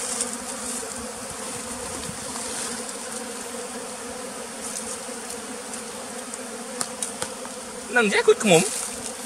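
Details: One bee at a bee farm in the flooded forest of West Tonle Sap Lake, Cambodia, hums with a steady, layered drone. Near the end a person starts talking over the buzzing.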